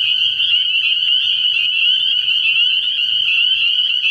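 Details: Spring peepers calling at night from a frog pond early in the year, a dense chorus of high, shrill peeps merging into one steady ringing band with faint overlapping trills throughout.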